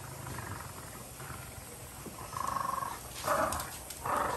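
French Bulldogs growl and grunt in short, rough, pulsing bursts while tussling over a toy.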